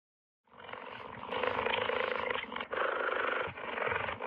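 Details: A cheetah gives a continuous harsh, rasping growl for nearly four seconds, with a rapid throbbing pulse and two brief catches in the breath.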